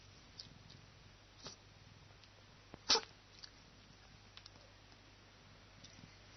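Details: A cat relaxing while basking in the sun lets out a single short, sharp sneeze about three seconds in; otherwise near silence with a faint low hum and a few soft rustles.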